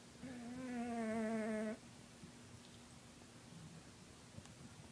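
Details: Snoring from Lucifer, a 20-pound domestic cat: one steady, buzzy, wavering tone lasting about a second and a half, then quiet.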